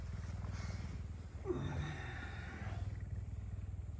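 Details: Captive pet puma, hungry in the morning and head-butting its owner while asking for food, purrs loudly and continuously: a deep, steady low rumble with rapid regular pulses throughout, with a faint rustle midway.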